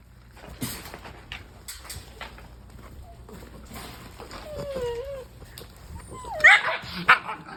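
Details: Eight-week-old Cane Corso puppies whimpering and whining: thin, wavering squeals that rise and fall, then a burst of short high yips near the end, over scuffling movement and a low steady hum.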